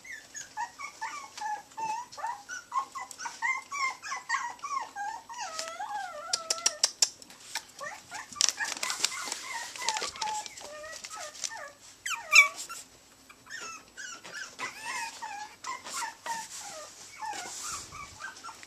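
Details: Three Chihuahua puppies playing indoors in Houston, Texas, giving rapid high whiny squeals and wavering whimpers, many overlapping, with scattered clicks and taps throughout.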